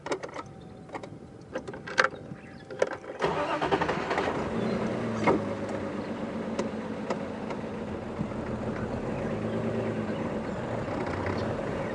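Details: A vehicle engine starts and then rumbles steadily, with a few clicks and knocks during an evening safari drive and no animal voices.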